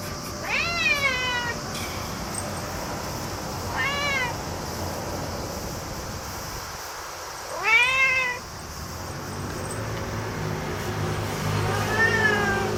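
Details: Cat excited at spotting a cicada, letting out four separate arching meows at irregular intervals of two to four seconds, some short and bright, one longer, over steady outdoor background hum.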